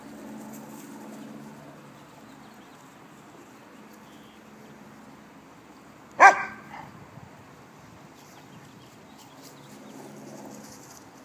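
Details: Fostered puppy recorded in 2013, giving one short, sharp yip-like bark partway through; otherwise a quiet indoor room with faint low hum and no other calls.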